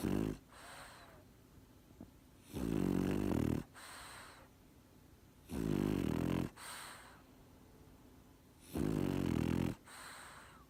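A French Bulldog snores in loud, rasping rumbles about every three seconds, with quieter breaths between.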